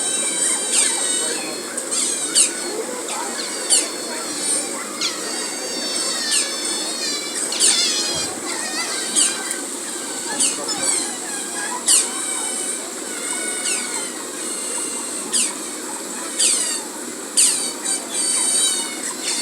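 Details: Asian small-clawed otter in a zoo scratching its body against a large tree trunk; shrill, piercing squeals and bending chirps come in clustered bursts throughout, with ongoing background hiss.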